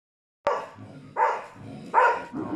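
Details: A Karelian Bear Dog gives loud, harsh barks, spaced under a second apart, at a mechanical bear during a bear test at a hunting event in Tornio, Finland, 28 June 2019.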